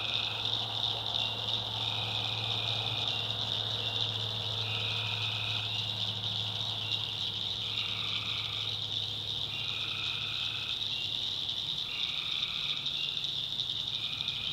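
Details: Swamp tree frogs at night in the backwoods of North Carolina. A constant high, buzzy chorus runs through, with many short repeated calls at two lower pitches overlapping and alternating every second or two, and a steady low droning underneath.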